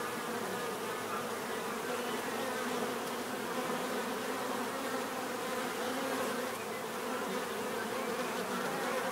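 Many bees buzz together in a steady, dense hum that neither rises nor fades.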